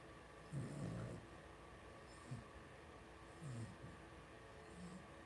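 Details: Two-week-old blenheim Cavalier King Charles Spaniel puppies, a litter of five born to Paris and Spike, in an indoor home puppy pen: low snuffling grunts and a soft whimper in short bursts, with quiet pauses between.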